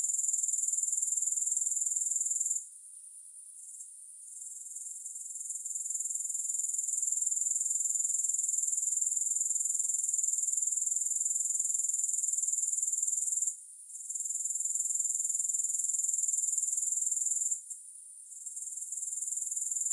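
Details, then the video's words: Shrill, continuous high-pitched pulsing of grasshoppers, without music, breaks off abruptly near the start and twice later, each time fading back in and swelling to a steady trill. "Grass Hopper Sounds"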